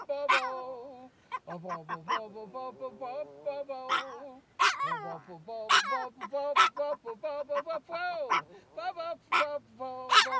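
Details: Chihuahua howling along as an older man sings "The Sound of Silence": wavering, stacked howls and sharp yips break over the man's low, steady sung line.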